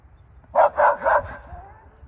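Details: Pups in a yard bark at curious alpacas on the other side of a fence, giving three quick, sharp barks in rapid succession, then a fading low rumble of background noise.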